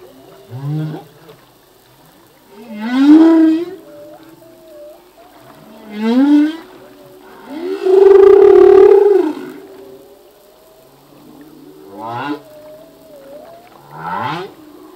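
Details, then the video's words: Full-length song of a male humpback whale in the ocean: upsweeping whoops, a loud sustained groaning moan near the middle, and thin wavering whistles between units, with phrases recurring every few seconds. "Whale song - full length humpback whale song"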